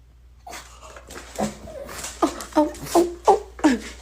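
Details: Pet dog indoors, excited after being told its owner is home, giving a rapid series of high yipping whines, five sharp pulses in the last two seconds, while a woman talks excitedly.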